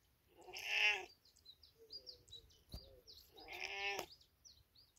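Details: Cat in village surroundings: two loud meows about three seconds apart, a soft low call and a sharp knock between them, with busy high chirping throughout.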